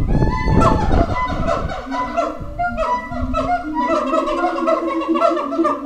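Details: Howler monkeys at Twycross Zoo call out at feeding time to defend their territory, a loud burst giving way to a steady chorus of harsh, honking groans pulsing roughly two or three times a second.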